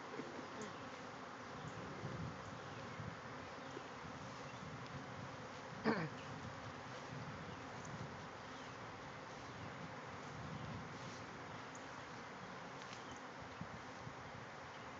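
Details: Thousands of bees swarming from a hive in a backyard, flying everywhere; continuous low buzzing drone throughout, one short knock around the middle.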